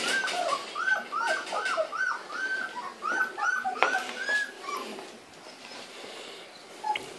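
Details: Several Grand Basset Griffon Vendéen pups, first time out of the crib in November 2013, give rapid series of thin whining whimpers, each short and arching, fading toward the end into quieter scattered whines.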